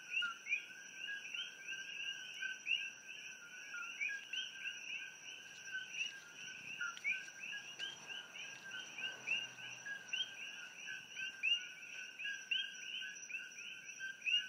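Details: A dense night chorus, mostly coqui frogs, recorded from a room in Hilo, Hawaii in pitch-black darkness: many overlapping chirpy two-note calls over a steady high insect hum.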